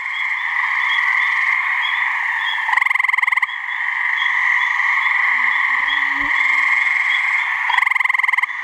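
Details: A couple of gray treefrogs in a New Hampshire swamp give mating calls: two loud, evenly pulsed trills about five seconds apart, each under a second, over a steady buzzing chorus, with a faint low tone midway.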